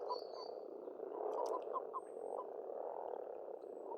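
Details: Frogs calling in spring at a pond in Estonia: a dense, continuous croaking chorus with short knocking notes over the low hum, plus faint thin whistles from birds higher up.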